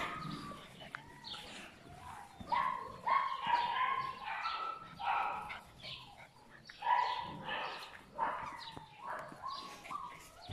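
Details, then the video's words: A chorus of puppies from one litter whines and squeals, short tonal cries rising then dropping, clustered in irregular bursts over a soft background with occasional faint voices. "Chiots de my black butterfly et bayleys"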